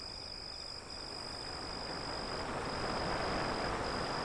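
A cricket's steady high trill runs on over the rolling wash of distant waves.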